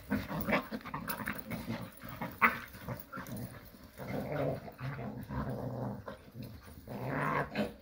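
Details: Jindo dogs playing happily together in the countryside, trading low, rough growls and scuffling noises in irregular bursts, with a sharper snarl midway and another rise in growling near the end.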